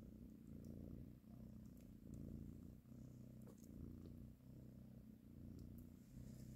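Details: Nursing mother cat caressing her kittens gives a continuous low purr, pulsing in slow cycles of inhale and exhale roughly every second and a half, with faint clicks above.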